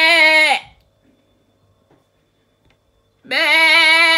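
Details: Domestic sheep bleats, heard when a sheep is hungry, calling for its lamb or showing off. A vibrating nasal bleat ends with a downward slide, followed by near silence, then another bleat starts abruptly.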